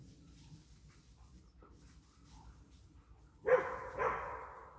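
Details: German Wirehaired Pointer during a wild boar hunt. Quiet rustling gives way to two sharp, loud barks about half a second apart near the end.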